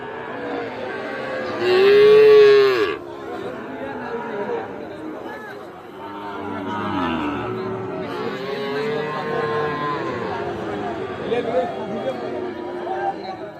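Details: Sahiwal calves at the Ambari cattle market in Parbatipur, Dinajpur, Bangladesh, on Friday 27 December 2024. One loud, drawn-out moo of about a second rises above crowd chatter and men bargaining over prices, with music in the background.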